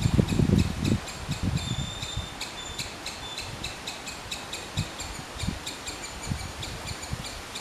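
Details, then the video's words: Squirrel calling in a fast series of sharp, high chirps, about three per second, while heavy low rumbling thumps crowd the opening second and lighter knocks recur later. "Squirrel's sound of call."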